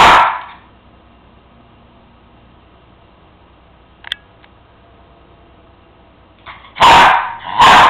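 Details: Cairn Terrier demanding his bone from the counter: one loud bark, a long near-silent pause broken by a faint click, then two sharp barks in quick succession.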